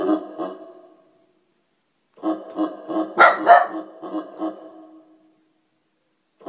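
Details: Domestic dog protesting keyboard sound effects, giving a few throaty, tonal bark-moans, then a second of silence, then a longer burst of grumbling pulses around two sharp crackling effect sounds, fading out.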